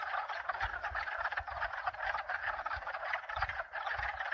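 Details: Frogs of two or more species in a loud, dense chorus of rapid rattling croaks with rhythmic pulses, backed by a low thumping pump hum and faint high chime notes.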